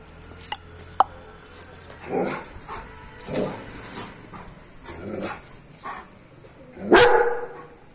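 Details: German Shepherd in an aggressive state, giving deep, harsh barks at irregular intervals: separate bursts near two, three and a half and five seconds, then the loudest, sharpest bark near seven seconds. Faint clicks come before them.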